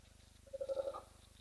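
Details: A spotted hyena at Hyena Pan, Khwai Private Reserve, in Botswana's Okavango Delta gives a quick burst of staccato, mid-pitched notes while disputes go on off camera.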